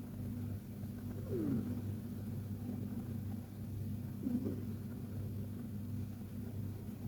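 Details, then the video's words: Sleeping Persian cat named KTO giving soft little snores: an even, low, droning rumble with slight swells, and two faint, falling chirps in the background. "Persian Cat Snoring Like a Baby!"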